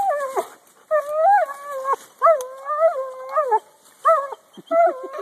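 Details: German Shepherd biting a tree, giving long wavering howl-like whines in about six drawn-out rising and falling phrases, each under a second, with short gaps between; a man's voice urges it on and praises it.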